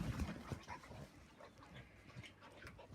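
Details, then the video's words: Dog vocalising during play with Angel, Atticus and Cody, a hello that turns into puppy talking: short low grumbling bursts in the first half-second, then softer scattered murmurs and rustling. "Cody saying hello that turns into puppy talking"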